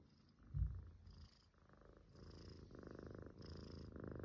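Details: Sleeping Munchkin kitten snoring; near-silent opening with a single soft bump, then rhythmic breathy snores building in the second half, each inhale and exhale a rough purr-like rasp.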